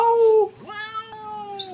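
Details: Domestic cat, called a talking cat, meowing indoors: a short loud steady harmonic note drops off, then a second meow slides upward and holds as a long, drawn-out, slightly falling tone, with a faint high squeak at the end.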